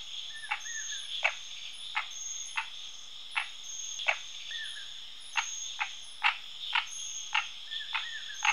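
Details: Frog calling in short, sharp clicking croaks repeated roughly every half second to second, over a steady high insect-like trill; a few soft chirping notes appear in between.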